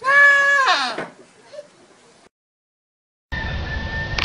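A goat gives a loud, wavering bleat that breaks and drops in pitch at the end.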